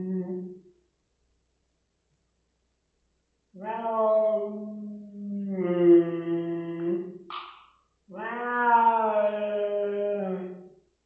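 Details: Domestic cat Rosetta, indoors, protesting a spot-on pipette treatment against fleas and ticks: low, moaning drawn-out yowls, a short pause, then long wavering wails with a brief higher squeak between them.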